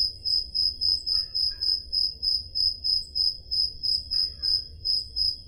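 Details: Summer-night crickets in Peloponnese, Greece, recorded with a Zoom H5: shrill, evenly spaced chirps at roughly three per second, with brief fainter mid-pitched chirps from another insect now and then over a soft low hum.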